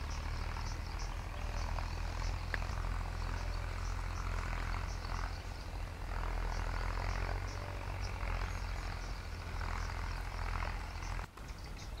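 A steady low rumble of an aircraft engine dominates throughout, with faint background hiss and no clear animal calls.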